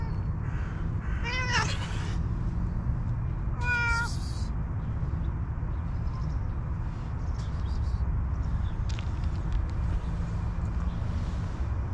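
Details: Two drawn-out meows, each bending down in pitch, from hungry stray cats scavenging in garbage. After them come quieter scuffles, all over a continuous low hum of urban traffic.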